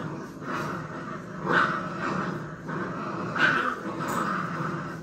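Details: Puppies tussling in play, a young dog's growl rising into two louder, higher snarling yaps about two seconds apart over a rumbling undertone, loud and close.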